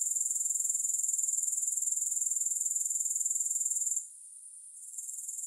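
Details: Rapid, high, evenly pulsed grasshopper trill for about four seconds, then abruptly fading to a faint, quieter buzz that slowly picks back up; no music present.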